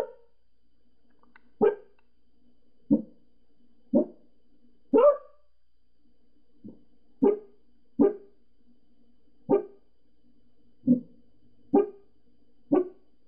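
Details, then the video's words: Gizzy, a Pembroke Welsh Corgi indoors, barks at people she spots outside next door: about eleven sharp, single barks spaced one to two seconds apart in an otherwise quiet room. "Gizzy Barking"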